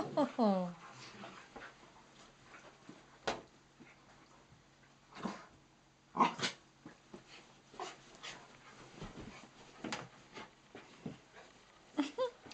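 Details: Four pet dogs at play on miniature dachshund Nellie's third birthday, with mini-dachshund Mrs Moo and cocker spaniels Rosie and Lucy: a brief falling, harmonic whine opens, followed by scattered clicks, thumps and scuffles of play, with some human speech.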